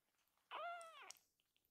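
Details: Loud crying meow of Akuro, a rescued baby kitten in foster care: a single drawn-out harmonic cry about half a second long, steady then falling slightly at the end, indoors in a quiet room.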